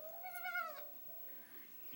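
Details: Domestic cat giving one drawn-out, tonal meow lasting under a second, slightly rising then falling, followed by quiet room noise.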